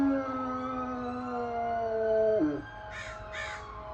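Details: Dog howling in reaction to sirens and fire trucks: a drawn-out tonal howl gliding gently lower, ending with an abrupt downward drop, followed by two short, harsh crow caws in the background.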